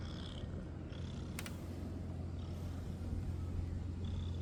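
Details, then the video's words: Stray male cat on a cat island purring while being touched by a person, after rubbing against them; continuous low, throbbing purr, with brief high bird calls scattered over it and a short sharp click near the middle. "A friendly stray cat that starts purring when I touch it"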